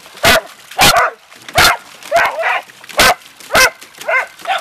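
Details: Playful Beagle and Dachshund dogs splashing in water bark in quick, uneven bursts, each sharp bark trailing into a brief higher yelp, about two per second.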